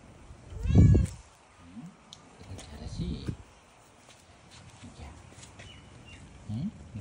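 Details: Tabby cat with a single loud, harmonic meow near the start. It is followed by scattered quieter low sounds and faint clicks over a murmuring background.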